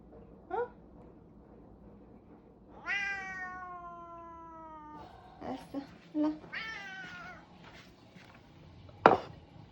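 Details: House cat asking for more food after having eaten, uttering a drawn-out meow followed by a few short, clipped meows and chirps, while a person talks and calls it over in a small room.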